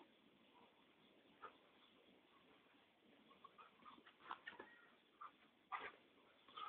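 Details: An Alaskan Malamute, playing gently, gives short whiny yips and a few sharp, rising vocal bursts.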